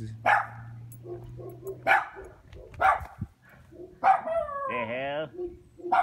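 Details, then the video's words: Chained neighbourhood dogs bark near a dog house, single sharp barks roughly every second, one drawn-out wavering yelp midway, with a low steady hum and a man speaking. "neighborhood dogs barking in dog house chain lock"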